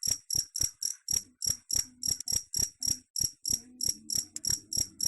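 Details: Cricket chirping, a sound said to drive away rats: sharp, very high, ringing chirps repeated evenly about three to four times a second, with a faint low hum beneath.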